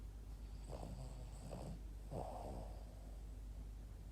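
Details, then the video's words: Boston Terrier named Yoda, asleep, giving two short snorting snores, throaty rasping breaths about a second apart, then a quiet pause with low background hum. "Cute Boston terrier dog Yoda sleeping like a baby and snoring"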